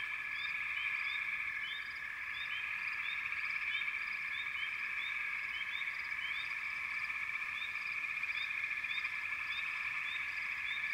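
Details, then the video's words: Many frogs calling together in a continuous shimmering trill, topped by frequent brief upswept chirps from several individuals scattered across the recording. "Frog Chorus"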